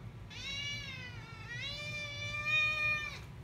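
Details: Domestic cat, a male pet, giving a long drawn-out emotive meow lasting about three seconds, steady and harmonic-rich with a slight dip midway then a rise, ending abruptly; low steady hum in the background.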